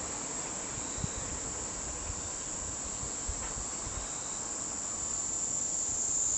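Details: Kaempfer cicada, a real recording used as a sound effect: a steady, high, hissing drone that runs unbroken through the clip, with a few soft low thumps.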